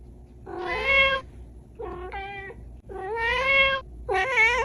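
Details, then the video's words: Small cat meowing indoors: four loud, harmonic-rich meows, two long wavering cries alternating with shorter, choppier mews, steady low hum behind. "Short Cat Meow । Small Cat म्याऊं।"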